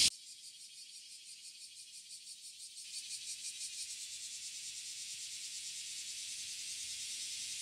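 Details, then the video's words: Cicadas in chorus on a summer morning in Okinawa, Japan, among lush trees: a dense, continuous high-pitched buzzing drone with a rapid pulsing texture, building slightly louder partway through and holding steady to the end. "Summer Serenade: Embracing the Cicada Symphony in Okinawa"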